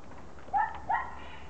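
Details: Two quick, clear, whiny yips, the second slightly higher, from Border Collie puppies out in the garden on Holy Thursday, against a quiet low hum.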